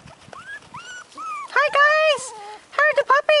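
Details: Four-week-old American Hairless Terrier puppies whining with clear, tonal whimpers that rise then level off, several overlapping in quick succession, louder toward the middle, with people talking in Dutch nearby.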